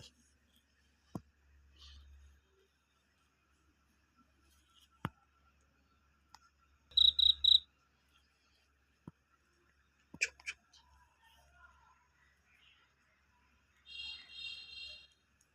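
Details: At about 10 pm in a village, a cricket calling near a house gives short bursts of high, rapidly pulsed trilling, with hushed voices and clicks between as people search for it.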